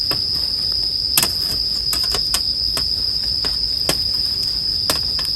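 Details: Bell crickets ring as a steady, unbroken high-pitched tone, joined by frequent sharp pops and crackles from a crackling bonfire, made as soothing sleep background sound.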